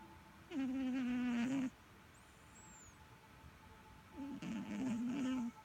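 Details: Snoring from Sugar the cat: two loud, reedy, humming snores, each about a second long with a slightly wavering pitch, separated by a short quiet breath.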